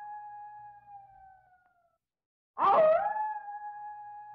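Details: End of a sustained wolf howl fading out, then silence, then another howl that begins raspy and turns into a clear, steady drawn-out tone.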